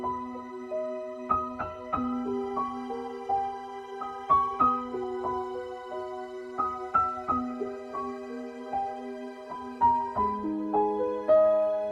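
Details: Soft, slow piano-like background music with sustained notes and gentle melodic phrases throughout, with no animal voices.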